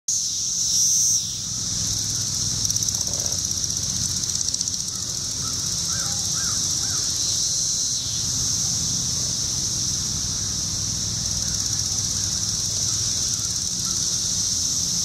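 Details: Periodical cicadas, with wing flicking, heard as a dense, steady, high-pitched shrill drone that holds unbroken throughout, with brief louder surges near the start and a few faint chirping bird notes underneath.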